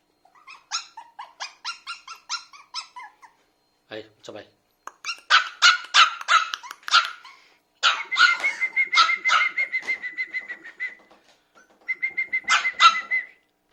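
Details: Biewer Terrier puppy, a toy breed, barks in long runs of rapid, high-pitched yaps, some with a squeaky whine, with short gaps between bursts; faint human voices in places.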